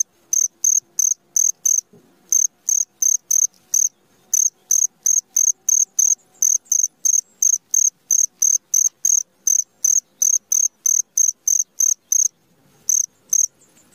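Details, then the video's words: At midnight a cricket sings a long run of sharp, high chirps, roughly three each second, pausing briefly near the start and end; a soft thump and faint low hum behind. "SUARA JANGKRIK TENGAH MALAM"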